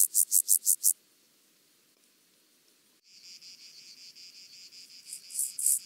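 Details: Penumbra grasshopper (Chorthippus vagans) at Mörnsheim, Germany, 14 July 2023: a burst of loud high scratchy pulses, a silent pause, then softer even pulses building back to loud strokes.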